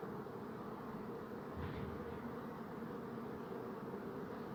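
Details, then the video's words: Bees hum in a thick, steady buzz, with a brief swell in loudness midway through. "Bee Buzzing Sound"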